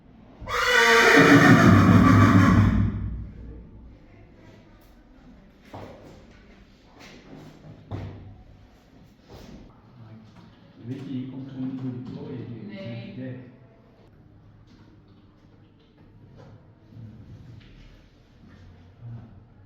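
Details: Friesian horse whinnying after a visit back to the clinic: one loud, harsh, shaking neigh lasting about two seconds at the start, followed by quieter knocks, clip-clop of hooves and faint rustling as the horse settles.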